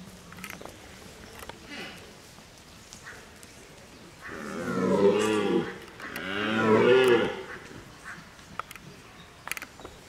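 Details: A red deer stag at Parc de Sainte-Croix during the rut gives two deep, drawn-out, groaning roars rich in harmonics in the early morning.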